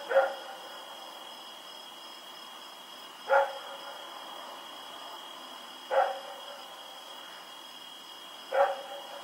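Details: Rex the dog barks at night in Pyrga on October 7, 2018, while running around. Four single sharp barks are spaced roughly two and a half seconds apart, with a constant high-pitched hum underneath.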